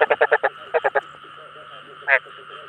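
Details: Chinese edible frog (ếch đồng) calling to attract other frogs: two quick bursts of short, rough croaks, then a pause and one louder, drawn-out croak, with a steady drone underneath.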